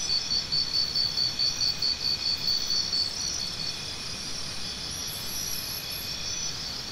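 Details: Crisp, rapidly repeated high cricket pulses fill the first three seconds, then fade into a steady, even insect drone for the rest.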